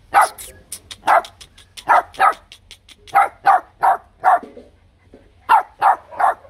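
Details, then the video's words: H'Mong bobtail puppy from a litter of three, barking provocatively as if picking a fight, loud enough to outshine its two littermates. Short sharp yaps come in irregular bursts of two to four, about fourteen barks in under seven seconds, with a quiet background. "Chó con mông cộc sủa gạ đòn!"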